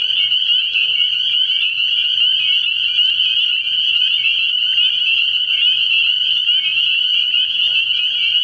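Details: Nighttime frog pond in early spring, where many spring peepers call together: shrill, high-pitched peeps pile up into a constant ringing chorus with no gaps, over a faint low hum.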